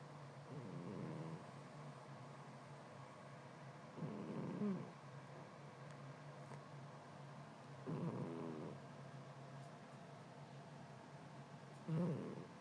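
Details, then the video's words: Domestic cat sleeping soundly, overcome by the heat, snoring: low rough rasping breaths around every four seconds, four snores in all, over a steady low hum. "Кошка Матильда спит и храпит."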